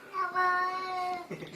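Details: A talking cat gives a single drawn-out meow lasting just over a second, a steady tone with rich overtones that fades into a short rustle.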